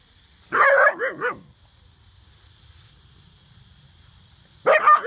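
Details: Alaskan Malamute puppy playing with water, giving a burst of three quick high yelping barks, then a pause with faint low noise, and another sharp bark at the end; a steady high hiss runs underneath.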